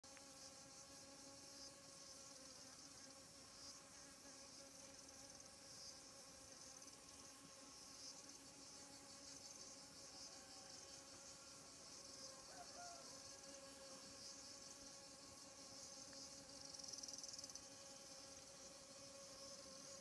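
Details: Insect buzzing around squash flowers in the morning, where honey bees collecting pollen fled as a hornet arrived; steady layered droning hum with several constant tones, continuous throughout, fairly faint.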